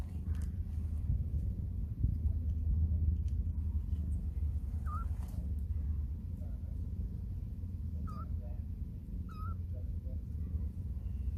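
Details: Young stray kitten straining while taking its first wobbly steps. Three faint, brief, rising-then-falling mews come late in the stretch, half-buried under a constant deep rumble.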